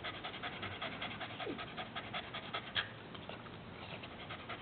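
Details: Pet dog panting heavily while someone plays with its tongue, rapid breathy huffs repeating roughly twice a second with uneven rhythm, a faint squeak near the middle, sound band-limited and slightly muffled.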